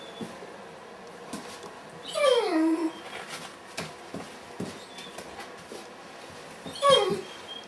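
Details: Weimaraner puppies, 30 days old, from the Kiss and Quest litter, 6 December 2012: a drawn-out, falling whine with layered overtones near the two-second mark, then a shorter whimper near seven seconds, over soft rustling and clicks.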